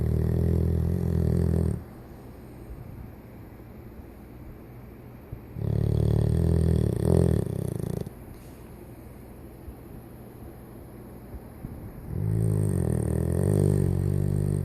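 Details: A 14-year-old Golden Retriever snoring peacefully while asleep when tired: three long, deep, rumbling snore breaths of about two seconds each, separated by quieter pauses, with no other sounds.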